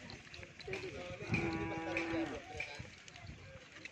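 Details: Cattle at a crowded gathering of many cows in Pamekasan, Indonesia: one steady, droning, harmonic-rich moo lasting about a second rises above background chatter and crowd noise.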